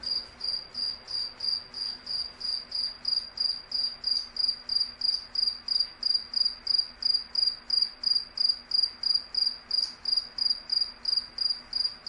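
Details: Cricket. A cricket gives a steady run of chirps, each a bright, ringing high-pitched pulse. The chirps repeat evenly at roughly two per second, with a faint low hum underneath.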